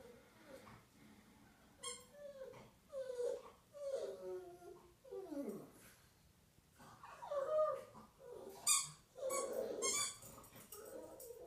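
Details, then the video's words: Pug named Earl, playing indoors with his favourite chicken drumstick toy and howling at his owner after work. A run of yelping, whining howls with bends up and down and one long drop in pitch, broken by pauses and snuffly breaths. "Earl the pug is a howler monkey!"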